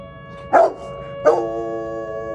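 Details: Tank, a pet dog, reacting to the monthly tornado siren test on the first Tuesday of the month: two sharp barks about 0.7 seconds apart over the steady, droning wail of the siren.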